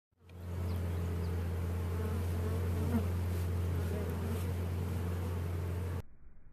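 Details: Honey bee buzzing: a steady low droning hum that holds at an even pitch for about six seconds, with faint higher overtones and no other clear sounds.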